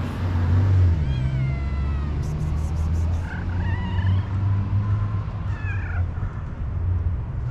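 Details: Homeless, hungry stray cats and kittens searching garbage for food outdoors; three drawn-out meows, the first high and gliding downward, later ones rising then falling, over a loud steady low rumble of traffic.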